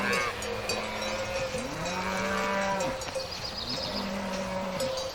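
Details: Outdoor field cattle heard at a distance, low sustained moos overlapping in a busy, noisy background with faint clanks and a steady high tone.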